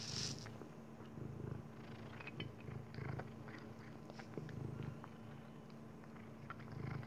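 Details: Maine Coon named Dexter eating kibbles, his favourite food; a deep, steady purr throbs in repeated pulses through the clip, dotted with faint crunching bites.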